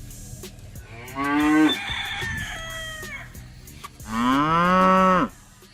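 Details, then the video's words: Cows of a village herd give two loud, drawn-out moos, the first rising and breaking off into a hoarse tail, the second long and steady, over a low background hum. "Village Cows Sound Effect- Cow Mooing"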